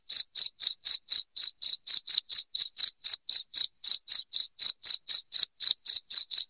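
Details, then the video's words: Shrill cricket calls, loud, intended to chase rats from a home: a continuous train of short high chirps at roughly four per second throughout, slightly uneven spacing, nothing else audible. "SUARA JANGKRIK NYARING"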